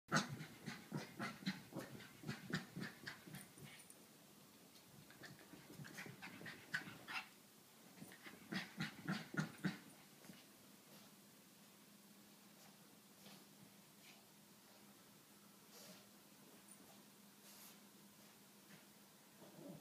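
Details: A 7-month-old female Pekingese puppy chasing her tail indoors: two bursts of quick, breathy, rhythmic panting, separated by a short pause, then fading to quiet room noise.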